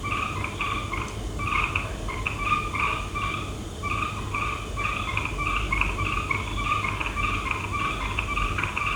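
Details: Night frog chorus of short croaking notes in rapid, uneven series, several frogs overlapping so the calls run almost continuously, with a low rumbling background noise throughout.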